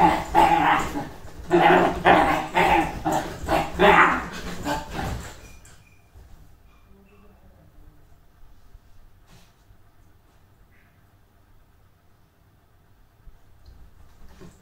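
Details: Super excited Dachshund giving a rapid run of loud, uneven barks and yelps for about five seconds. The bursts come several per second, then stop abruptly, leaving a quiet room with faint background noise.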